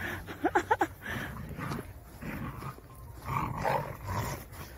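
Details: Jindo dogs, Sarang and friends, playing energetically in Busan: three quick, sharp yelping barks early on, then drawn-out, rough, rising-and-falling play growls and grumbles, with background noise throughout.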